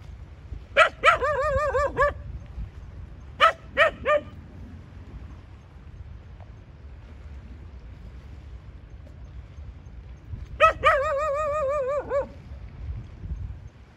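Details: Domestic dog producing drawn-out wavering whines, each opening with a sharp bark, plus a quick pair of barks in between, separated by several seconds of near silence with a faint low rumble.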